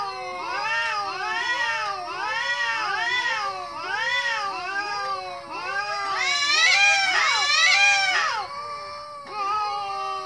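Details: Steady run of kitten mews, many curved, whining calls overlapping almost twice a second, swelling into a louder, shriller cluster around seven to eight seconds before easing off.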